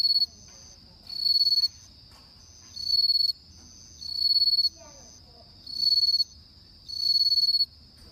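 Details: Bell cricket chorus on an autumn night, clear tinkling high trills in short bursts about every second and a half, with softer faint pulses heard between the main bursts.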